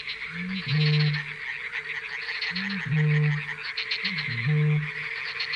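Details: At night at fishponds in the Barycz Valley, three deep, resonant frog croaks, each opening with a short rising note, repeat about every two seconds over a steady high buzzing chorus.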